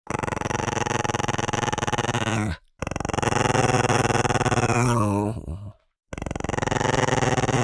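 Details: Dogs growling while competing for food: long, rough, pulsing growls lasting over two seconds each, separated by brief silences, in a small indoor space.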